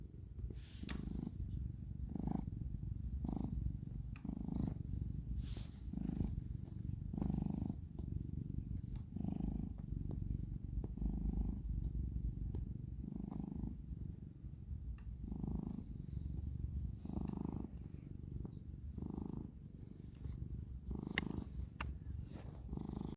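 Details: Kneading house cat giving a long, even, low purr that rises and falls in regular breath cycles, with occasional light clicks and rustles from its paws.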